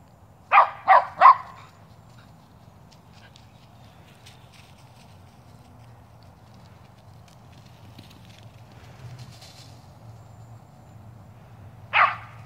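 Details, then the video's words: Shetland Sheepdog barking while chasing squirrels and wearing a Superman costume: three quick sharp barks at the start, a long quiet stretch with faint background hum, then one more bark at the end. "Sheltie chases squirrels"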